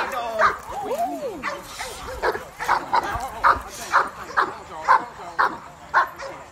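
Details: At a cookout, a Cane Corso lets out evenly spaced, punchy barks roughly twice a second after a brief stretch of human voices, with conversation continuing underneath.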